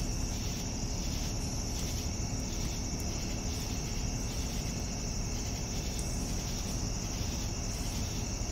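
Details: Evening crickets keep up an unbroken high-pitched trill while a second layer of short chirps beats at a quick regular pace, all above a low droning hum.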